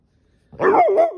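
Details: Pit bull named Ranger, a pet dog angry at having his tail grabbed, lets out a sudden wavering moaning growl that bends up and down in pitch for under a second.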